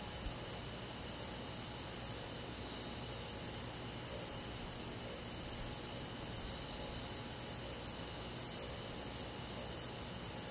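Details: Crickets at night in summer: a steady high insect drone, then from about seven seconds sharp short chirps begin, repeated roughly every two-thirds of a second over the ongoing hum.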